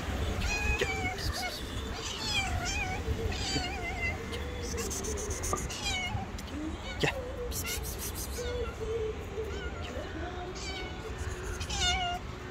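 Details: Two angry stray cats, a white one and a rival tabby, facing off on the street; long wavering yowls and moaning caterwauls rise and fall throughout, overlapping with sharp hissy bursts and low traffic rumble.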